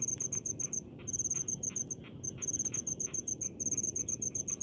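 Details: Cricket in rice paddies chirping in high, crisp pulse groups broken by short silences, with faint tapping and a low steady background murmur.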